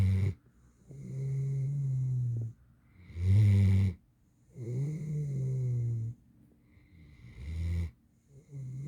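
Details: Eight-month-old mantle Great Dane, a female, asleep and snoring loudly; deep droning breaths swell and fade, broken by brief harsh snorting exhalations roughly every two seconds, nothing else audible.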